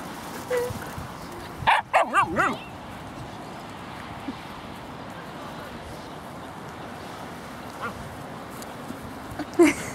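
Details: At Laguna Beach dog park, seven-month-old Margo romps with a four-month-old Husky puppy; a quick burst of three or four excited barks, then scattered yips and one final bark against low background murmur.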